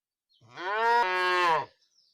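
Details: Cow giving one short moo of just over a second, rising slightly at the start and then holding a level tone before stopping abruptly.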